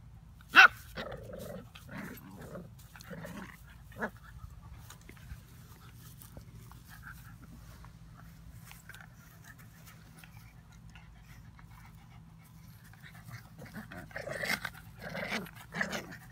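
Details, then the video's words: Two puppies, an Old English puppy and a mixed-breed mutt, at play indoors: a sharp yelp-like burst early, scattered short growly sounds, then a cluster of rougher growls and yips near the end over a low steady hum. "Puppies at play"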